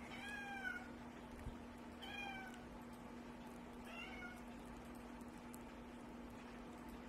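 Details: Baby, a male pet cat adopted from the Humane Society, whining at the door to be let out after play stopped: three drawn-out, harmonic meows, the first two long and falling, the third shorter, over a steady low indoor hum.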